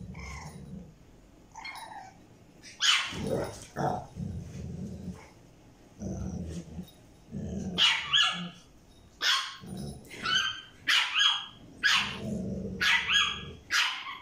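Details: Tiny French Bulldog puppy wanting a toy from a Staffordshire Bull Terrier: repeated sharp, high yappy barks mixed with low rumbling growls, in bursts with short pauses, indoors.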